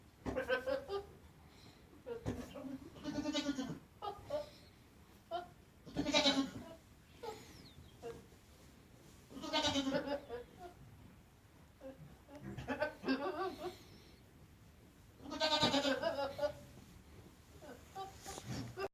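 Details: Harsh, bleating goat cries, quavering and nasal, come in a string of about seven bursts separated by brief silences.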